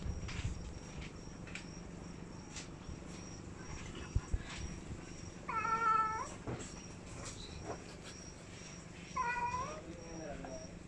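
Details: Two separate cat meows, the first longer and level, the second shorter and dropping in pitch, set against a steady faint high whine and low background hum.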